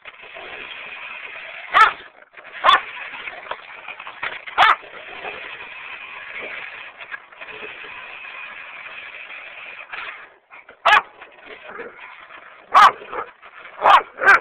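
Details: Ginger, a female German Shorthaired Pointer, barks at a remote-control Hummer. About seven sharp, loud barks come at irregular intervals, some in quick pairs, over the steady buzzing whine of the toy car's motor.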